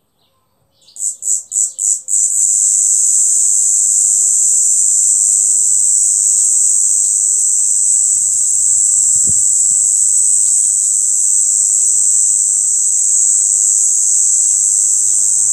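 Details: A cicada in a yard in Amara, Ialomița, Romania, on 26 June 2020 opens with four quick pulses, then a deafening (about 90 dB), steady, shrill, hissing high buzz, with a faint low thump partway through.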